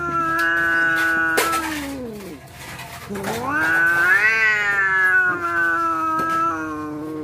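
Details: Cats on the verge of a fight give sustained yowls, one dropping low then sweeping back up into a long wavering wail, with faint background noise.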